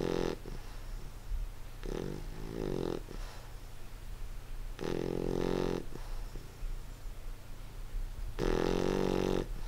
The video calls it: Our English Bulldog Reggie snoring